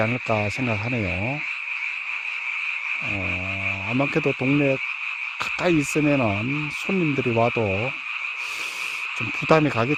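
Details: Night frog chorus from a mountain village, heard only in this season; low, harmonic croaks that dip and rise in quick runs, separated by short pauses, with a constant high-pitched hum of distant callers behind.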